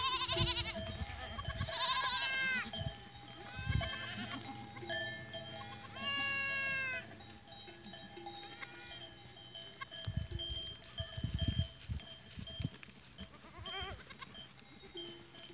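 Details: Goats on 14 April 2023: several wavering, quavering bleats with curving overtones over the first seven seconds, then mostly ringing bell tones, low thumps and shuffling noises.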